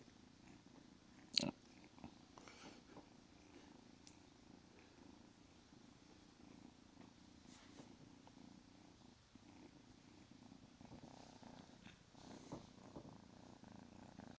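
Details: Squid, a small, feisty female Siamese cat grown from a kitten, purring close up: a continuous soft low rumble that swells slightly near the end, with an early sharp click and light rustling.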